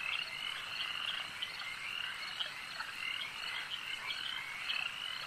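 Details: Frogs calling at a lake, a dense overlapping chorus of high trilling, chirping croaks forming steady bands, with many callers blending continuously and no other sounds standing out.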